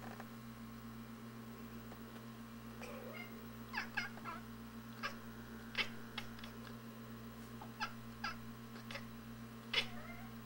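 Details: Feral cats indoors chattering at a robin seen in the yard through the front window; faint, short clicking chirps in loose bursts over a steady electrical hum.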